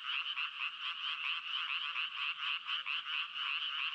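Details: Rasping frog croaks come in quick bursts, about one and a half per second and slightly uneven. Each burst is a bright, buzzy rattle over a faint low ticking.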